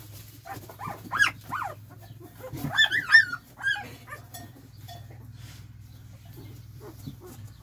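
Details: Spanish Mastiff on a farm, recorded 29 January 2021: a string of high, wavering whines and yelps that rise and fall, bunched into a quick burst of several cries near the middle, then fading into quiet farmyard background.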